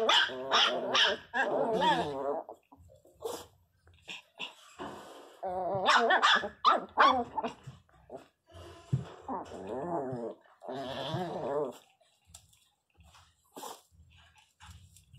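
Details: A Pinscher puppy cries very loudly in short bursts of shrill, wavering whine-growls rising and falling in pitch, with small rough growls and brief pauses; a faint voice is heard once.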